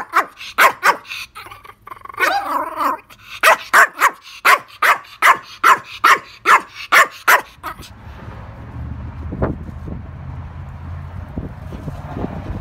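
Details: Pomeranian named Bammy Woo, a rescued dog, barking at the camera: a run of about fourteen sharp, high yaps in quick succession over seven seconds, then a quieter stretch with low background hum and a few soft knocks.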